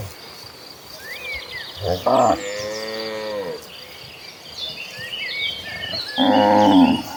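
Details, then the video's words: Dozens of cows walking together toward green pasture: a short bellow, a long arching moo, and a loud nasal moo near the end, over constant chirping birdsong. "The Sounds of Gentle Cattle: Dozens of Cows Walking Toward the Green Pasture in a Herd."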